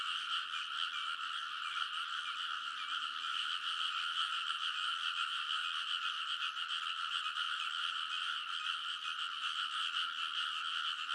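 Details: Massed frogs croaking in a Japanese rice paddy at midnight, early summer, Kōnosu in Saitama; a relentless pulsing chorus of roughly two to three croaks per second blending together, with scattered brighter chirps and a faint low hum.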